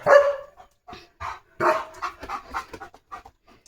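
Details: Leo, a pet German Shepherd, in a home courtyard: short broadband barks and yelps break up a stretch of overlapping Marathi speech from a person talking to the dog.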